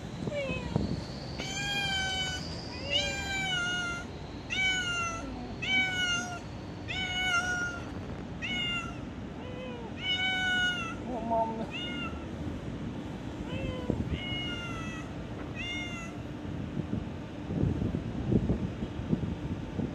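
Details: Unnamed domestic cat at an office, meowing repeatedly in a long series of short, harmonic-rich cries, roughly one every second, some rising then falling, over steady mechanical hum and occasional thumps.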